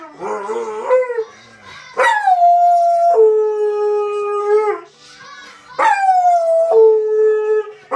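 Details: Dog singing along to the SpongeBob theme on television: several long howls, each starting high and sliding down to a held tone, with breaks between them and music in the background.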